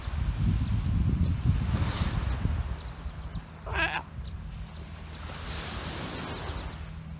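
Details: Galapagos Islands sea lions, a bull annoyed at a hungry pup disturbing his rest: a single short wavering bleat stands out midway through, surrounded by rushing surf and low rumble.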